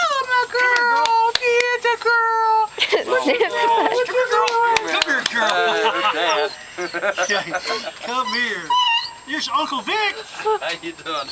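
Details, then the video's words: A pet dog greets someone coming home, emotional: a long, steady, high whining howl that holds one pitch for over two seconds, then wavering, warbling moans mixed with people talking warmly to the dog. "Our dog is emotional"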